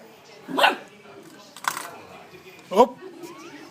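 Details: A puppy's first bark, given during a playful attack: two short, sharp barks about two seconds apart, with a rustling burst between them and faint background noise.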